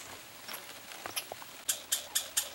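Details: Two pine squirrels competing for peanuts during a summer vacation: soft scattered clicks, then four sharp high chirps in quick succession near the end, about a quarter second apart.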